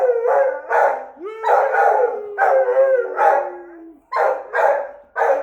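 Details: An Australian Shepherd gives quavering, broken howls with short yelps between drawn-out notes, each rising and falling over a few seconds, howling at a passing fire truck whose steady siren tone runs beneath part of it.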